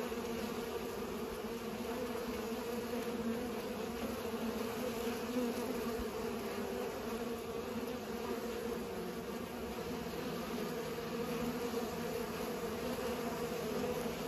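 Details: Bees pollinating, a steady continuous buzzing hum of many wingbeats with no pauses, the drone holding at a low even pitch throughout, with faint higher harmonics above.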